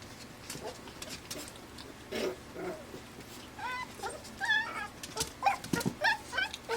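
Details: Pembroke Welsh Corgi puppies, five weeks old, born June 20, 2026, in Arkansas, give short, thin, bending whines that grow denser and louder toward the end, mixed with soft thumps and rustling.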